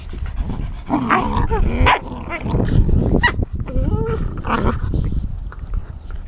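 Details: Three black and tan American Tundra Shepherd puppies, nine and a half weeks old and teething, giving overlapping squeaky yips and short whiny cries over constant low rumbling and scuffling from play.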